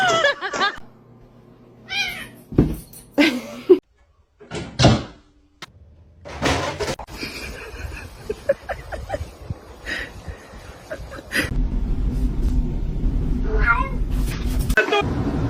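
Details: Domestic cat meowing in short, high bursts scattered across the recording, separated by quiet gaps, with human voices between calls and a steady low rumbling noise in the final seconds.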